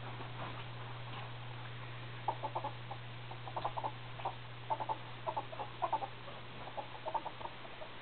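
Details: Male ferrets, hobs hitting puberty, making soft, low clucking chatter in short irregular bursts, grouped in quick clusters through the middle and end, over a steady electrical hum.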